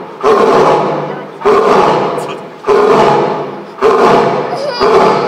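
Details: Male lion Sora roars from the back room at Higashiyama Zoo, Nagoya, on 25 June 2023 after many visitors gathered; five powerful roars come roughly every 1.2 seconds, each sharp onset tapering away, with a faint crowd behind.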